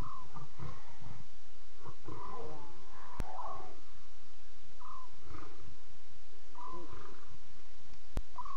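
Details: Lion cubs vocalising in the early hours, 02:40 CAT, during a safari broadcast: busy overlapping mews and squeaky cries, some bending upward, with low grumbling sounds and constant background hiss.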